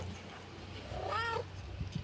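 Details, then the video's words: A domestic cat, one of a mother and son pair, gives a single short meow with clear harmonic stacks, rising then falling, lasting under half a second, over a quiet room hum. "I due Gatti "Miao Miao" mamma e figlio"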